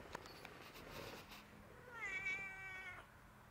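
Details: A cat indoors giving one drawn-out meow, level then gently falling, after soft background noise and faint Spanish speech.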